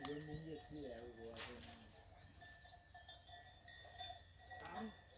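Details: Cows at the Ganadería La Paloma cattle farm: a low, drawn-out moo whose tone slides downward over about two seconds, with a steady high-pitched tone, faint bird chirps and murmuring voices in the background.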